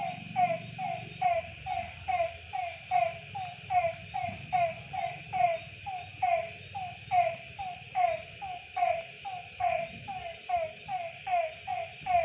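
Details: Rain-night frog chorus from a village in December: rhythmic, clipped croaks roughly every second, regular and overlapping, over a constant faint high-pitched insect drone.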